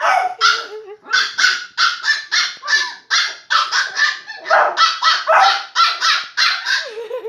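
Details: Shiba Inu and Beagle puppies at play, yapping in quick bursts of sharp, high barks and yips roughly every half second, with short whiny tones in between.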